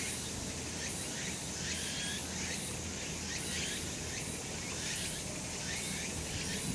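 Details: Summer mountain cicadas in the sun, a thick shrill buzzing wall of sound with regular sharp pulses recurring roughly every 0.7 seconds and a soft low rumble beneath.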